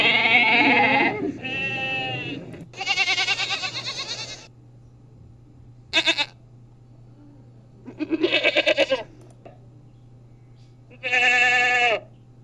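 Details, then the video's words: Goats bleating repeatedly, several wavering calls of varying length, some shaky and quavering, others short and clipped, spaced a few seconds apart over a low steady hum. "sounds of small horns"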